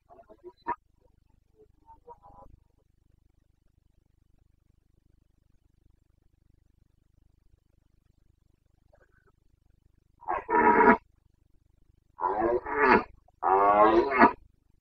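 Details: Carpathian red deer stag roaring in the Bucovina forests during the September rut: a few faint, brief calls early on, then three long, powerful, harmonic roars in quick succession near the end.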